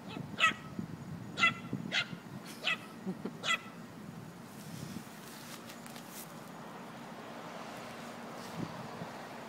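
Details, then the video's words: Chihuahua and puppy, Moxy and Hopper, playing: five thin, high yips spaced about a second apart, then the barking stops, leaving faint rustling and room noise. "Chihuahua playing with puppy"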